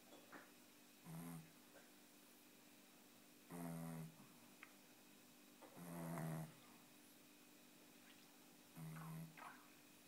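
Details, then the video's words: Six-month-old Tibetan Spaniel puppy asleep indoors, snoring in four separate breaths roughly every two to three seconds, each a low buzzy rasp with a faint whistle on top, quiet room between. "Snoring puppy"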